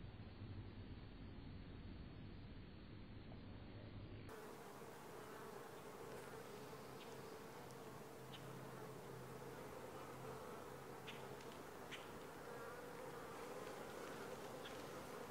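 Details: Honey bees buzzing at the landing board of a langstroth hive, four days after transfer from a nuc to the new hive; a steady droning hum with a faint tone near its middle, plus a few brief ticks and clicks.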